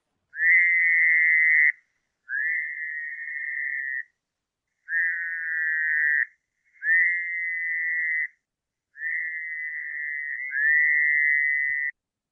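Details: Fowler's toad of North Carolina gives a series of nasal, buzzy 'waaah' calls, each one to two seconds long, sounding somewhat like a crying baby.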